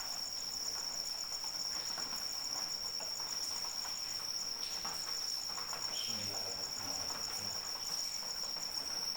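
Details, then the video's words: Cricket singing through rainfall, its shrill unbroken trill holding one high pitch throughout while gentle rain hisses and patters underneath, with a brief louder drip near the sixth second. "Suara Hujan dan Jangkrik Pengantar Tidur"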